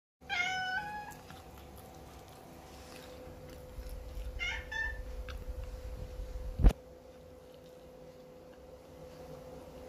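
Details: Persian cat, confused and sad in its new home, gives a clear tonal meow at the start and a shorter second meow near four seconds, followed by a sharp knock and a steady indoor hum.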